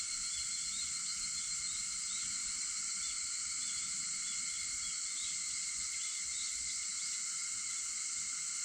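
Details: Cicadas at dawn, 4:50 a.m. on August 4, in an unbroken high buzzing drone with several steady tonal bands and faint overlapping chirps, no other sounds standing out.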